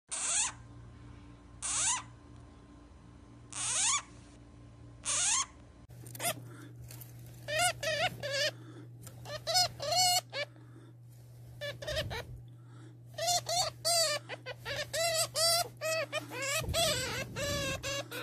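A hamster gives sharp, high squeaks, some short and clipped, others wavering and harmonic-rich.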